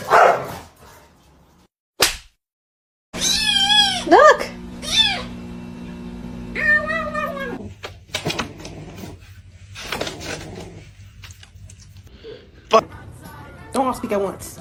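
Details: Domestic cat in a funny cats compilation: several arching, rising-then-falling meows, some drawn out for about a second, cut between stretches of speech, music and abrupt edits.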